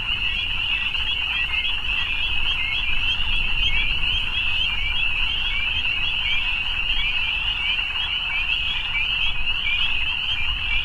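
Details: Frogs calling in the evening, many voices blending into one continuous shrill trill that holds steady throughout, with faint low rumble underneath.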